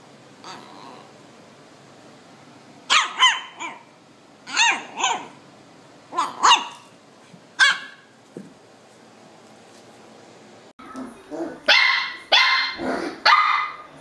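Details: Cute puppy barking in clusters of sharp, fairly high barks over a noisy background, with a louder, denser flurry of barks and yips near the end.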